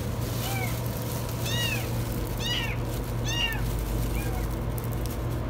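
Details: Kitten stuck in a washing machine, giving very high meows: five short arched cries spread over five seconds, some faint, over a steady low hum.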